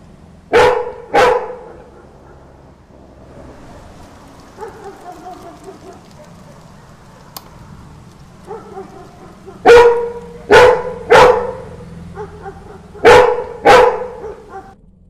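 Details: A yellow Labrador Retriever barking at night on hearing street dogs bark gives loud, deep barks, mostly in pairs with pauses between them.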